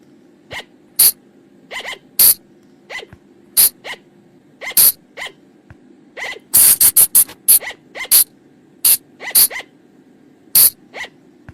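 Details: Night lure sound of the flying lemur from the forest: crisp, harsh squeaks spaced roughly every second, then a dense flurry of rapid notes midway, over a low continuous hum.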